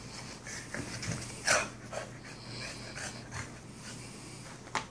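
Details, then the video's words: Two Boston Terrier brothers playing together indoors; short breathy pants and snorts with a sharp bump of noise near the middle, in a small room. "Boston Terrier Brothers Playing Together"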